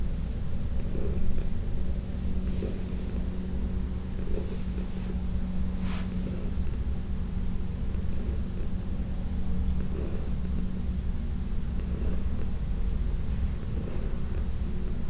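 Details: Senior house cat Heidi, once a ten-year shelter resident at the Humane Society of New York City, purrs steadily while being massaged; deep unbroken rumble with faint rubbing and brushing sounds scattered throughout.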